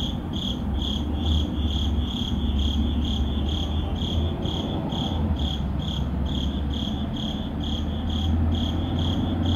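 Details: Urban crickets at midnight chirping in an even, high-pitched pulse a little over twice per second, set against a heavy low hum of city traffic that swells and fades.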